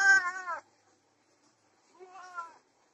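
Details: Domestic cat, desi or Persian, during mating, giving two wavering, nasal meows about two seconds apart, the first louder and higher, the second softer and falling away, in a quiet room.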